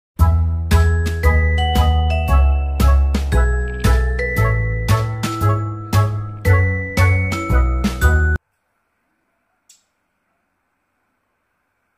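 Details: Tinkling chime-like music with steady repeated notes for about eight seconds, then near silence with one faint click; no animal sound is heard.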